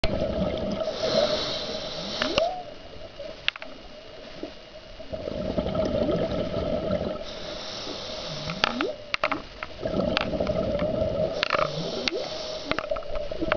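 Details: A humpback whale about 100 yards away off Hawaii sings, recorded underwater during a dive: low, drawn-out moans sweeping upward, repeated every few seconds.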